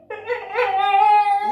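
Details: Cane Corso, an Italian mastiff, howling to ask for food: one drawn-out tonal howl, briefly wavering at the start, then rising into a steady sustained note before cutting off.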